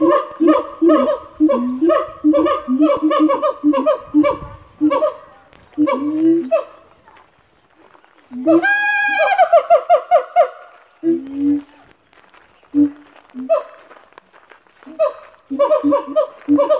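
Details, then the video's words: Three siamangs at a zoo in Australia give loud, honking barks in rapid rhythmic bursts rising into climbing whoops, calling to establish their territory. "Siamangs make a call for help!"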